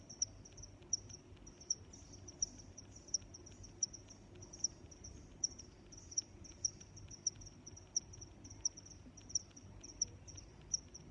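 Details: Steady high-pitched cricket chirps, strong accented pulses arriving about every three quarters of a second between softer trills, with quiet low background noise.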